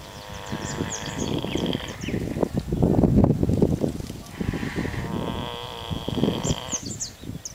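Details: Pig snoring at an ostrich farm on Curaçao, Dutch Antilles. It gives rough, rapid, grunting pulses that swell and fade, while small birds chirp faintly in the background outdoors.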